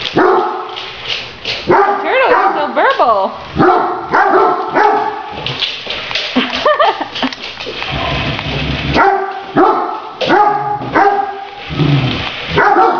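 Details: Great Danes romping with a remote-controlled toy tarantula, dense volleys of barks and yelps, some bending up and down in pitch, overlapping with a person's voice throughout.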